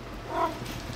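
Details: Large Maine Coon cat talking back during a conversation: a single brief chirping meow, clear and mid-pitched, lasting under a quarter second against low background hum.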